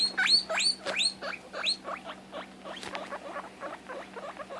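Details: A female guinea pig gives loud, rising squealing whistles, freaking out because she can't find or see her sister.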